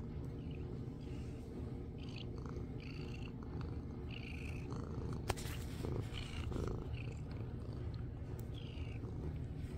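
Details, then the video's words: Pampered domestic cat, a small black 'mini panther', purring while head bonking the screen: a steady low rumbling purr throughout, with soft rubbing and brushing noises and a sharp tap near the middle. "Mini panther getting pampered, purring and head bonking the screen"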